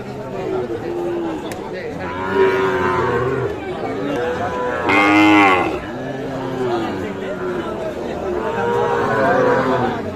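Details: Livestock lowing at Aftabganj cattle market, Nawabganj, Dinajpur, Bangladesh, trading Sahiwal bull calves; repeated moos from several animals, one loud harsh bellow midway, with continuous crowd noise and talk.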